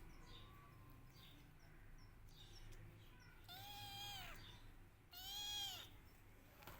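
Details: Kittens crying for their mother, with a faint early mew followed by two loud, long arched meows, each rising then sinking, with low background rumble.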